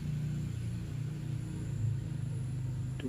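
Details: Steady low rumbling hum with faint music-like tones and a brief soft knock near the end, with no animal voice.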